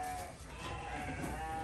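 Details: Domestic goat bleating while being fed; a steady, noisy bleat with faint layered tones runs through the whole short stretch, and a person's voice is heard softly at low level.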